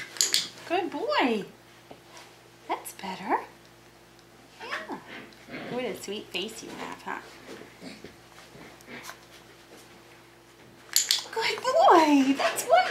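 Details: Tamaskan Dog puppies, five weeks old, at play in the Puppy Culture box game; thin, sliding whimpers open the stretch and return strongly toward the close, with quieter gaps and a person chatting between them.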